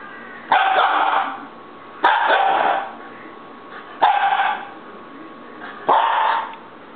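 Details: A baby Siberian Husky throwing a fit gives drawn-out, wavering howl-like whines, each about a second long, repeated every two seconds.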